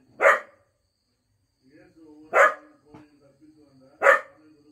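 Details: Two Cocker Spaniels howl and bark together: sharp, loud barks come about every two seconds over a low, wavering howl.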